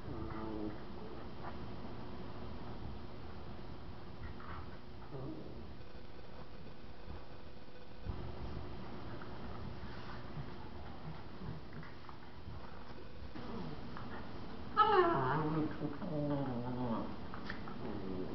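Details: Two Miniature Schnauzers, Suchi and her four-month-old pup Patotas, playing indoors in a living room. After a stretch of quiet scuffling and room hum, a sudden burst of wavering, harmonic growl-whine sounds rises and falls for about two seconds near the end.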